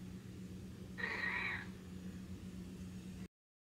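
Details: Snowshoe cat playing peek-a-boo gives a single short, slightly hoarse meow lasting about half a second, set against a steady low electrical hum that continues throughout before the sound cuts off.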